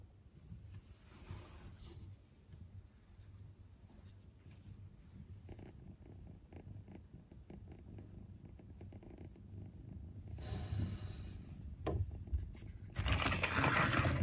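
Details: Father cat purring with his kitten indoors, a low steady rumbling purr throughout, growing louder toward the end, with loud rustling bursts near the close and briefly around the middle.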